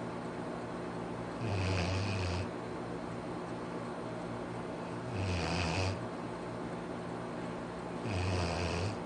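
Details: Arfie, a pet Labrador Retriever, snoring: three long, low rumbling snores with a raspy upper edge, spaced roughly three and a half seconds apart, over a steady background hum.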